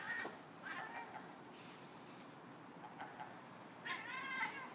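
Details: A female Savannah cat chatters at a seagull in short, wavering, harmonic bursts with brief pauses between them.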